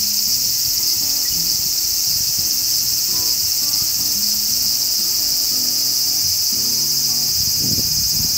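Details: Large brown cicada, a Japanese species of wooded areas; its loud, unbroken, sizzling hiss like oil frying in a pan holds steady throughout, with faint low tones beneath.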